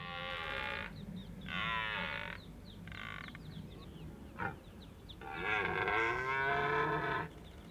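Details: Red deer during the autumn rut in Richmond Park: a series of four drawn-out, harmonic groaning roars, the first three short and evenly spaced, the last the longest at about two seconds, over a low background rumble.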